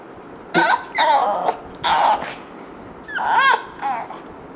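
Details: Yumi the dog, annoyed by fart sounds, lets out four short complaining whines and moans, each under a second, with a wavering pitch and a squeaky rise-and-fall in the last one.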